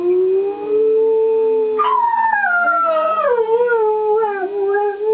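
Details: Pet dog howling along with monthly tornado warning sirens, the first Wednesday of the month; long sustained tonal howl sliding upward then wavering downward, with a steady siren tone held underneath.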